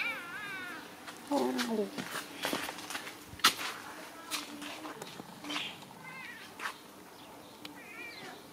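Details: Kitten meowing: a series of thin, high, wavering mews, some rising then falling, spaced irregularly, while a person talks nearby over light background noise and occasional clicks.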